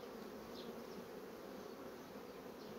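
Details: Fast-developing honey bee colony on its frames, heard as a constant, thick, low hum of massed wingbeats with no pauses, and a brief higher whine of a passing bee early on.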